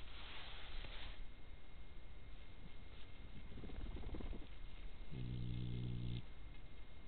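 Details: A badger, recorded 17 May 2024, gives a deep, buzzy, droning grunt lasting about a second. Before it come low rumbling and soft rustling, with a faint hiss at the start.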